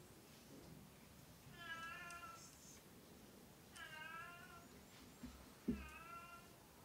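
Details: Oriental or Siamese domestic cat repeating a drawn-out, nasal meow three times, about two seconds apart, each slightly wavering in pitch, with a couple of soft knocks in the quiet room.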